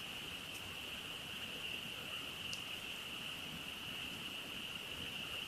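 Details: Frogs chorusing at night beside a campfire during camping: a dense, unbroken high-pitched drone holds steady throughout, with a couple of faint crackles from the fire.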